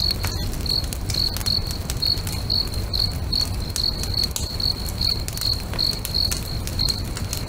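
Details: Lakeside crickets at sunset chirping in an even series of brief high trills, roughly two or three a second, while a bonfire crackles and snaps throughout with a deep low roar.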